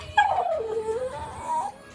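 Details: Miniature Schnauzer whimpering to be taken for a walk: a single drawn-out whine starting high, sliding down and levelling, then rising slightly before fading, over quiet background music.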